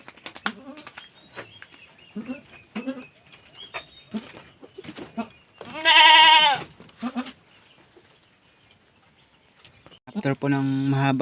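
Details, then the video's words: Nanny goat on a farm during a long, assisted birth; low voices and shuffling fill the first seconds, then one long, loud bleat cuts in, and a second strained bleat closes the stretch. "ACTUAL NA PANGANGANAK NG ATING KAMBING"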